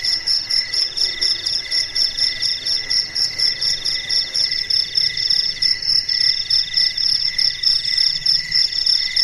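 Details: Melodious nocturnal cricket chorus in the silence of night, several high ringing trills overlapping in rapid pulses, about four per second, steady and unbroken without other sounds.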